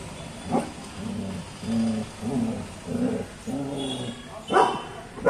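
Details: Female German Shepherd guard dog on guard, giving a run of five or six deep, harmonic, drawn-out barks at a steady pace, each about half a second long, followed by a sharper, louder bark near the end.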